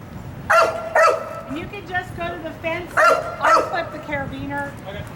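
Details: Barking from Sirius, a wildlife detection dog candidate, during an evaluation. Paired sharp barks come in two bursts about two seconds apart, with lower whiny yips between them and people talking and giving instructions in the background.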